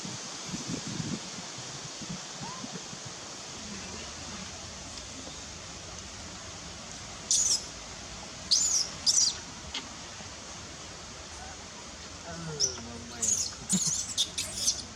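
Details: Nelson, a baby monkey, hungry and upset while asking its mother for milk: after quiet rustling, sharp high-pitched squeaking screams come in two clusters, around seven to nine seconds and again near the end.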